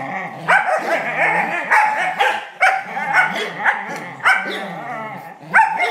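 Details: Charlie, a black Smooth Collie, growls and whines while playing tug: rough, rumbling vocal bursts with harmonic whining overlaid, loud yelping peaks roughly every second, continuous and excited throughout.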